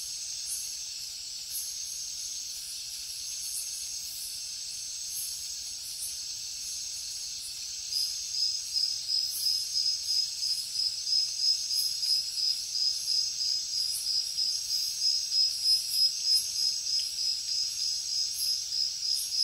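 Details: Crickets at night in the jungle, a steady high-pitched trill pulsing about three times a second, growing louder and more distinctly pulsed after the first eight seconds, with a fainter chorus of other insects buzzing above it.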